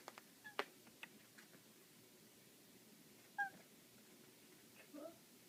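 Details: Playing with a laser indoors, a black female cat lets out brief chirping calls, one clipped two-note chirp mid-way and a softer falling chirp near the end, with light clicks and taps of movement in a quiet room.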